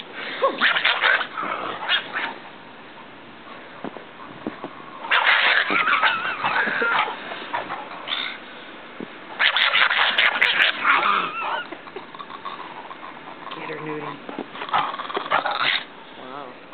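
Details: Angry pug wearing a snowsuit while playing outdoors with a Great Pyrenees, giving loud harsh, wailing outbursts in four separate bouts a few seconds apart, with quieter pauses and faint voices between.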